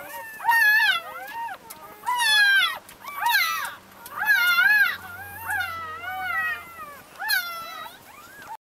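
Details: Labrador Retriever puppies from Brazil, a litter of ten beside their mother Leah; loud looping whines that rise and fall, pups crying in bursts with short lulls, ending abruptly.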